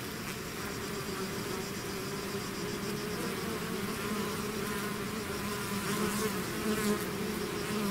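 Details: A swarm of bees leaving its hive fills the air with an unbroken buzzing drone, low humming bands rising slightly in loudness toward the end as nearer insects pass.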